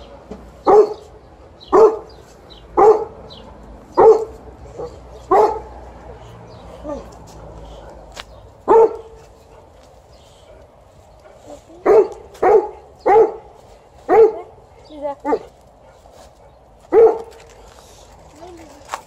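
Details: Repeated short, low barks from Liza, an Alaskan Malamute welcoming her sister back from riding: a steady run of six, a gap, then about nine more, with a woman speaking Slovene.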